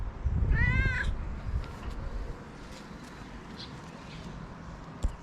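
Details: Friendly stray female cat on a street in Morocco meowing to say she is hungry: one clear, short, slightly wavering meow early on, over a steady low rumble of outdoor background noise and a faint knock near the end.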